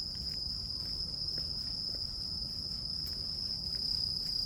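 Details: A continuous piercing trill from grass insects, crickets, holds one high pitch throughout, with faint ticks here and there and a steady low hum of ambient noise beneath.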